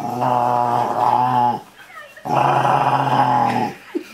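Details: Rottweiler indoors 'talking' while cuddled: two long, rumbling, moaning growl-like vocalizations about a second and a half each, separated by a short pause, with a faint voice at the end.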